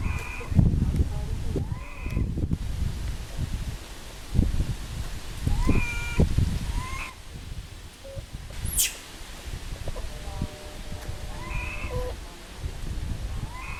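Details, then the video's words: Little pig-tailed macaque that lost its mother cries loudly. Short, tonal, harmonic wails come in separate bursts every second or two, mixed with loud low thumps and handling noise and one sharp high squeak. "This Little Cute Monkey Crying Loudly Cos Lost Mom"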